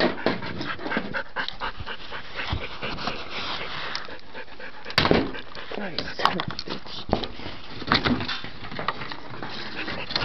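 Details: Dante, a pet dog, pants rapidly in noisy breathy bursts after getting his toy stuck where he cannot reach it, with a man talking to him throughout and occasional sharp knocks.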